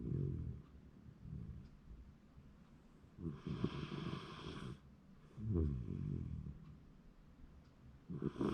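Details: Shiba Inu asleep and snoring, January 2024; rough low snores come in slow waves, with louder breathy bursts roughly every two seconds.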